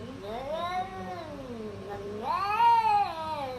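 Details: Domestic cat giving one long, drawn-out wavering meow that dips and then rises into a louder, strained yowl, rich in harmonics, with a quiet background.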